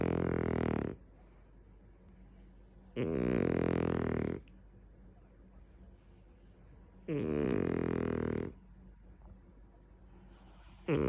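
A French Bulldog snores loudly, each rasping, buzzy breath lasting over a second and recurring about every four seconds.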